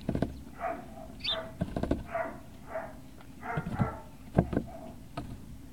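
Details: Great Dane puppies at Puppy Hill, recorded 18 November 2018, giving a string of short whimpering yelps in bursts over a steady low rumble, with a faint chirp near the start.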